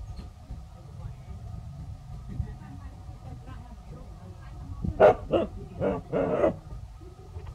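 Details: Faced with a snake, the village dogs Pao and Rank bark seriously; after a quiet stretch of murmuring background, a cluster of four abrupt, noisy barks arrives in rapid, uneven succession.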